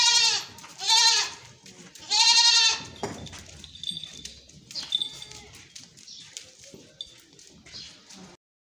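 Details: Beetal goats giving three strong, quavering bleats in quick succession at the start, the last one longest, followed by quieter clicks, shuffling and faint high chirps.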